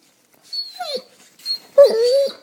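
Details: A Basset Hound named Bowser whining to wake its owners: two short, rising then falling whimpers, then a longer, louder whine that holds steady before trailing off, with high overtones above each cry.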